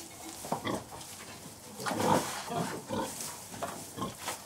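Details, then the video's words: Contented sows with their piglets in farrowing pens, giving short, gentle, low grunts in irregular bursts over about four seconds, with soft rustling of straw and faint higher squeals underneath. "Sounds of Pigs Farrowing Pens"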